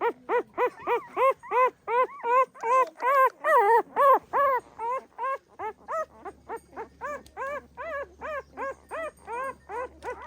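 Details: Pahadi dog mother and her puppies: a rapid series of arched, whining yelps. Loud and insistent at first, they grow softer and thinner after the midpoint, with a faint low hum underneath.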